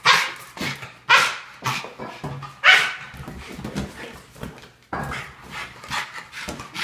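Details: A Boston Terrier at home, excited while playing with balloons, gives sharp barks and yaps at irregular intervals indoors.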